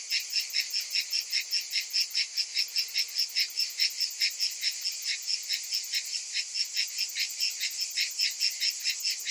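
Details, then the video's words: Massed cicadas in summer heat, buzzing shrilly and without pause, the sound swelling and fading in fast rhythmic beats roughly twice a second, with a bright constant hiss above them. "Cicadas in Summer"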